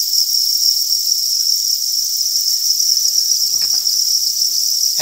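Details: Crickets kept on a farm, many calling together in an unbroken, shrill, high-pitched chirping drone that holds steady throughout, with a faint click or knock partway through.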